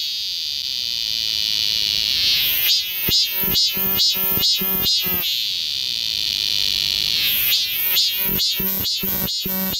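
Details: A nearby cicada in a summer park forest in Mokdong, Seoul, sings sustained shrill buzzes that break into bursts of strong rhythmic pulses, the cycle repeating twice, while the wider cicada chorus hisses steadily in the background.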